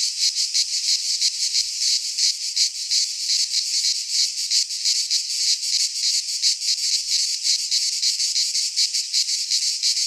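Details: Cicadas of the Greek fauna singing in midsummer pines: a loud, continuous rasping buzz, shrill and pulsating quickly and evenly, filling the recording with no other sounds.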